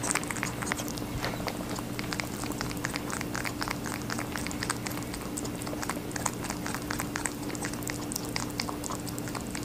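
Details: Rabbit eating watermelon: a steady run of quick, crisp crunching clicks, dense and rapid throughout, over a low constant electrical hum.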